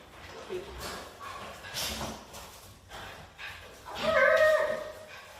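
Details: Miniature Schnauzer dogs making noise to get their friends out to play: soft scattered sounds, then a loud, drawn-out, wavering whine with rich overtones near the end.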